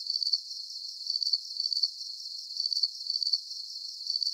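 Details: Crickets chirping in a relaxing nighttime nature soundscape for sleep: high, shrill pulsed trills in short bursts, with several bursts clustered about every half second and brief quieter gaps between groups, steady and continuous, with no other sounds.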